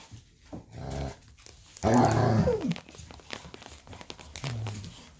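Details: Golden retriever puppies, with their parents and an aunt on a cozy evening, give a loud, falling whine among softer low grumbles and growls; the mother disciplines pups that try to sneak in nursing.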